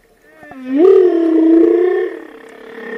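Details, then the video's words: Whale vocalization: a loud, sustained tonal moan that sweeps upward, then holds steady and rich in harmonics for over a second before fading into a softer lingering tone. "Tunog ng BALYENA | Sound of WHALE"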